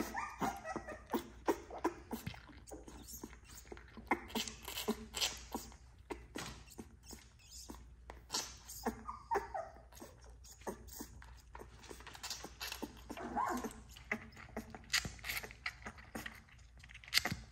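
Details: XL American Bully puppies from a litter of ten, hand fed with bottles, whining and yipping in short bursts over feeding and rustling sounds; a man's voice briefly heard.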